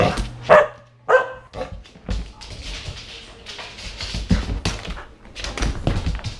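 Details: Samoyed puppy during a long spell of zoomies, giving two sharp barks at the start, followed by a steady stream of thumps, scuffles and scrambling noises from running play.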